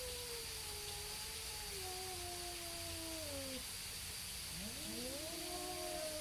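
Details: Neighborhood cats in a standoff before a fight: two drawn-out, slowly falling moans, then a pause and fresh rising wails from both animals, half buried in a loud steady background hiss and hum.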